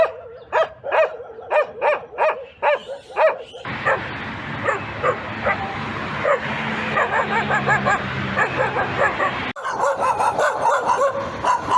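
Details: Dog barking in a collection of reaction sounds: a run of regular, harmonic barks about every half second, then a busier, noisy passage with overlapping yips and barks, ending in a loud, harsh burst.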